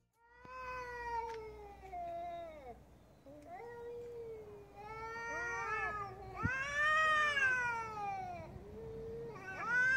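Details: Cat; angry meow; anger, cat preparing to attack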